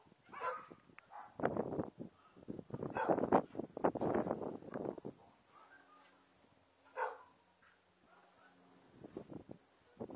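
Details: Papillon puppies with their mother Emy: bursts of loud squealing and yelping in the first five seconds, then quieter whines and a low steady hum, with one more sharp yelp near the seventh second.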